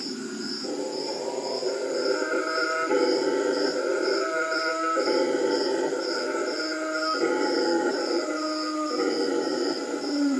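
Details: Howler monkeys at the Manu Learning Centre, Manu, calling back and forth: a sustained chorus of deep, harmonic roars broken into bouts every one to two seconds, backed by an evenly pulsing insect whine.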